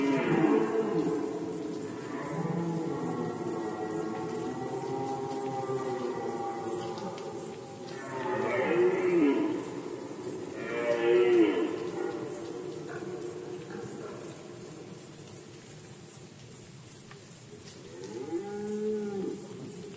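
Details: Red deer in rut, Poland 2020: a long groaning roar is followed by two short, loud bursts and shorter grunting calls toward the end, with several animals overlapping. Constant high insect chirping fills the background.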